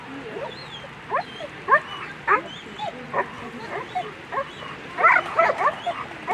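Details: German Shepherd barking during a World Championship agility run on a Sunday: short, sharp, high barks and yips repeated about twice a second, with a steady murmur of arena crowd behind.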